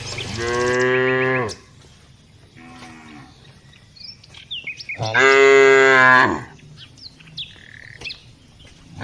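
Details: ['Tame village cows being herded and walked, a daily routine. Two long, loud, deep moos, the first lasting about a second and a half, with a fainter moo between them and scattered bird chirps in the background.']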